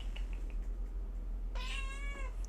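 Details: A pet cat in a small room while a podcast host talks; a short, bright harmonic meow near the end, earlier a broad rustling burst and a soft click over steady room hum.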